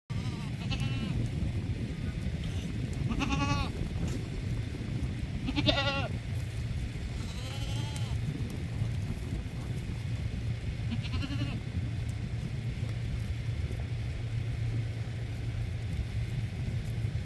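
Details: Dhofari goats, a breed native to the plains and mountains of Dhofar in southern Oman. Several quavering bleats come every two to three seconds over a constant low rumbling noise.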